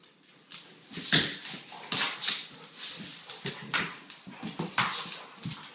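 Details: Weimaraner mother playing indoors with her 10-month-old son from her 2012 litter; short harsh bursts of whimpering and huffing growls come in uneven spurts, with a louder squeal near the middle.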